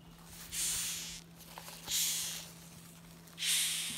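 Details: Disturbed rhinoceros beetles indoors in a kitchen produce three loud, breathy hissing bursts, each lasting well under a second, separated by pauses of about one and a half seconds over a low constant hum.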